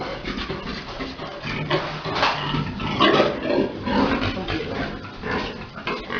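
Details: Large boar mating a sow on a pig farm; rough, broad grunts and snorts come in irregular bursts about once a second, with a murky background of farm noise.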